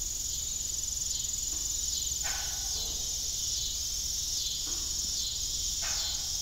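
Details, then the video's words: Evening crickets on an old farm beside a disused windmill, a continuous high shrill trill with rapid pulsing, while occasional low creaking tones rise and fall beneath it. "Evening Cricket Sound"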